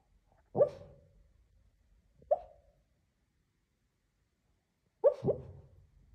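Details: Lhasa Apso dog barking while dreaming in its sleep: three muffled, soft woofs, one at the start, a quieter one near two seconds and a double bark around five seconds, with quiet pauses between.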